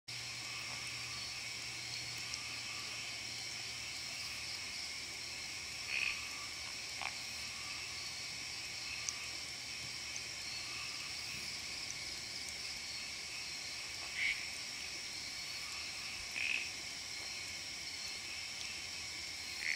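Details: Odorrana frog, either Odorrana hosii or O. monjerai, at about 800 m on Gunung Jerai, Kedah, Malaysia, near midnight on 16 July 2014; three brief, sharp high chirps spaced several seconds apart over a steady dense insect chorus.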